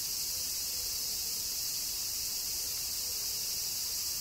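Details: During summer rain in Kyoto, Japan, cicadas keep up an even, piercing high buzz with no pauses and no other clear sounds.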